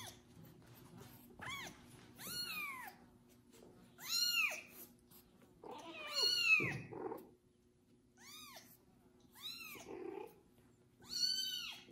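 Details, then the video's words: Kubik, a kitten whose own mother ignores him, meows loudly after his first bath while a pregnant foster cat tends him; clear arched high meows repeat every second or two, with brief handling noises. "Foster mom cat takes care of loud meowing kitten after his first bath"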